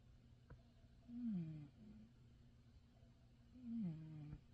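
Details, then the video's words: Pet cat snoring in deep sleep in his favourite bed; two soft, low descending snore sounds about two and a half seconds apart in a quiet room. "snoring away in his favourite bed"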